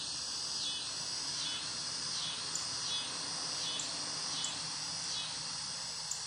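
Cicadas fill the air with a dense, high, shimmering buzz that pulses in soft waves.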